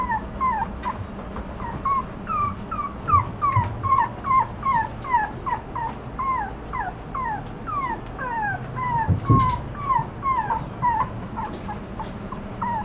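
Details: Toy Poodle puppy crying in a long, busy stream of short, high whimpers, each bending downward. The whines tumble out two or three per second with little pause, joined by an occasional dull thump.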